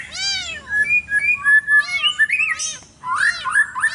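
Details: Garden territorial fight between village cats one morning: short arched yowls rise and fall, recurring at about one-and-a-half-second intervals, interleaved with thin whistled tones and squeaky higher notes in a quiet setting.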